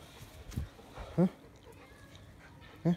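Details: A six-month-old Rottweiler at play outside in fine weather, February 2021, gives two loud, low, clipped barks about one and a half seconds apart, while a man calls to it between them.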